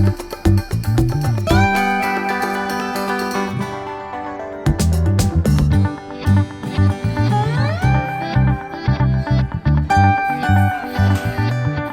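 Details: Plucked guitar music with slides and a steady beat plays throughout, and no animal sound is heard.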